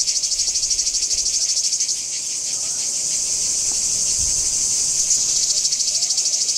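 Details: Cicadas singing at Kardamyli in 2013, a strong shrill buzzing chorus with quick regular pulsations, briefly softening near the middle before resuming at full strength.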